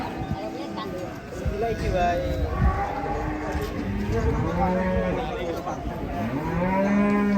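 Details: Cattle at a sale, said to be angry as they are about to be sold; several overlapping moos with rising and falling pitch over steady crowd chatter, ending in a loud sustained low.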